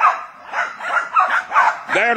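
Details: Jack Russell Terriers at work hunting wild boar, several dogs giving sharp, high yelping barks in quick bursts about every half second, some ending in a rising whine, with a man's voice urging them on.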